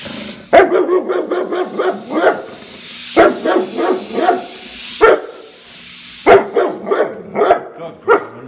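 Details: Nala, a rescued German Shepherd Kelpie mix in Baja, barks at a pressure cooker while broth is made: four bursts of sharp, loud barks over eight seconds, each opening hard and trailing into shorter yelping barks.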